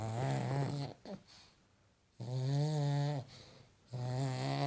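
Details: Paddy the pug snoring in sleep: loud, steady buzzing snores with stacked harmonics, each lasting about a second, separated by soft wheezy exhales, in a small quiet room.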